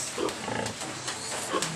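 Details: Domestic pigs on a farm where a sow has just given birth to 13 piglets in a little over two hours. Two short, soft squeaky grunts come early and again near the end, under a man talking and a steady background hiss.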